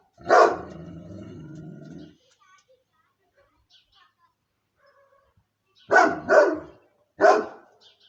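A Moscow Watchdog gives deep, loud barks, one followed by a low rumbling growl, then a quick pair.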